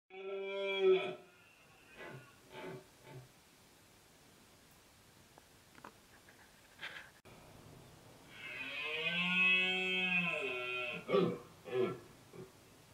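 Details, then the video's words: Red deer stag roaring during the autumn rut in the Sierra del Relumbrar, Albacete, Spain, October 2016: a short harmonic bellow, then after a pause a long, strained, arching roar of about two seconds, followed by brief grunting coughs. "Berrea en la Sierra del Relumbrar"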